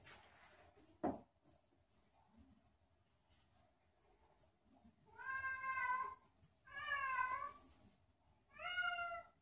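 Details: Domestic cat named Sam meowing loudly at night after owners go upstairs to bed without him; three drawn-out, wavering harmonic meows in the second half, preceded by quieter room sounds and a soft thump.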